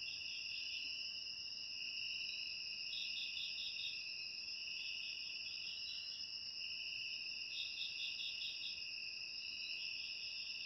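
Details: Steady piercing cricket drone with intermittent clusters of fast pulsed chirps rising and fading over it, otherwise quiet and unchanging, made as ASMR sound.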